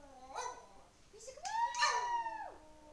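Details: Singing Lhasa Apso named Elvis, an 11-year-old male house dog, gives a short yelp, then a rising howl that swells into a sustained, rich wail before dropping sharply away, in a quiet room.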